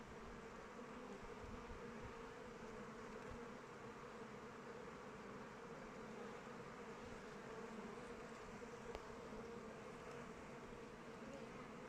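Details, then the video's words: A swarm of honey bees flying around the hive in open weather gives an even, rumbling buzz, steady from start to finish, with a few soft rustling ticks beneath. "Bees flying around hive"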